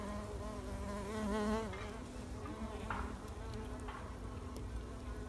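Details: Wild mason bees pollinating in spring 2021: a steady low buzz with wavering pitch, swelling louder and rising slightly around the middle, over a rumbling background of wind or handling noise.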